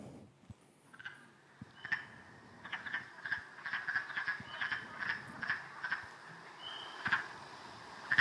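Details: Wood frogs calling in spring at winter's end, after overwintering frozen and travelling to a pond to find mates: a steady chorus of rapid, duck-like clucking croaks, several per second, with a few thin high whistles over a quiet background.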